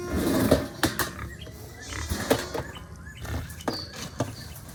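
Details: Hungry farm pigs on a small farm started during COVID-19 give harsh, noisy squeals and grunts in short bursts, the loudest near the start and middle, while faint bird chirps sound in the background.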